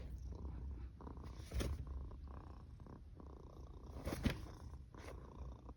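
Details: Domestic cat snoring in a quiet room, a steady low rumble with faint breathy swells and a few short, sharper snorts or rustles standing out around the midpoint and near the end.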